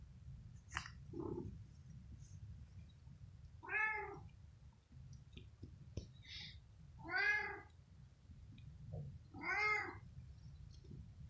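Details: Pet cat indoors on a bed after eating, grooming its hair and face before sleeping; three clear harmonic meows around four, seven and ten seconds, each rising then falling, over a steady low room rumble with faint clicks.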